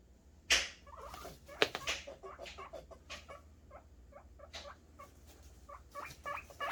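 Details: Guinea pig boars making happy sounds while waiting for food: short squeaky calls scattered between loud clatters and rustling, denser near the end.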